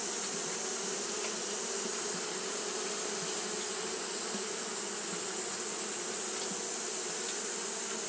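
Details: Japanese honey bees fanning constantly in the heat, heard as a smooth, low collective hum with occasional brief clicks over a steady high-pitched hiss.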